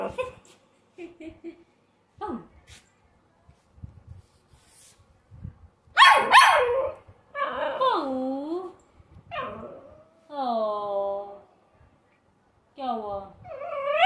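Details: American Bully pup, a pet, giving a string of high, arching whines and sharp yelps rich in overtones, with a loud burst of barking midway and a final rising whine, separated by short quiet gaps.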